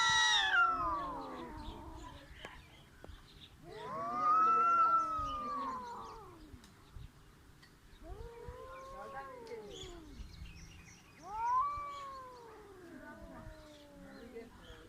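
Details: Cats trying to fight, giving loud, moaning caterwauls: a sharp high cry at the start, then three long arching wails spaced roughly four seconds apart, each swelling and fading over two seconds against a quiet outdoor background.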